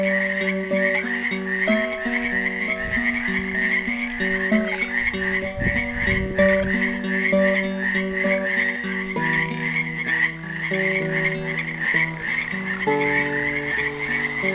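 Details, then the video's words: Frogs caught in a pool at Helix, Oregon, Earth Day 2016, produce an unbroken chorus of high, rapid trills, mixed with a classical guitar playing a made-up melody of plucked notes and occasional strums. "GUITAR AND FROGS SINGING"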